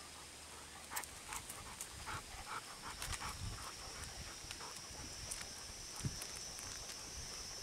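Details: Golden Retriever panting on the last morning walk of August, still hot for the breed, near a river with water play. Quick, breathy bursts repeat in a steady rhythm. A constant high insect drone runs underneath, with footsteps and rustling.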